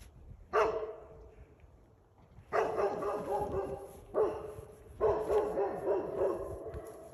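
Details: Great Pyrenees guard dog barking while confronting a moose: loud, rough barks in separate bursts, one near the start then repeated volleys after a short pause, with steady background hiss.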